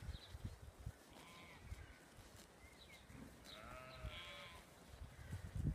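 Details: Coloured Ryeland sheep in the Brecon Beacons, excited at being turned onto new grass, give a few drawn-out, wavering harmonic bleats, one long call near the end, over low thumps and rustling in the field.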